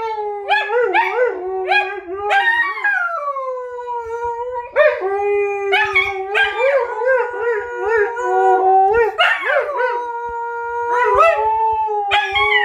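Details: Husky howling in exchange with a wolf, overlapping wavering howls with rich harmonics, long sustained tones sliding down then holding steady, interrupted by short yelping rises, continuous throughout.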